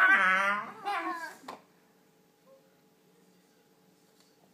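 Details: Shiba Inu puppies playing with toys and squabbling over one toy give a wavering, whiny yodel that rises and falls, then go quiet.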